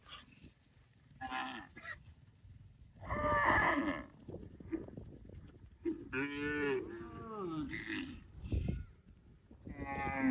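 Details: Cows mooing repeatedly, several overlapping bellows of varying pitch, some wavering and bending downward, over a rumbling low background with short bursts of noise.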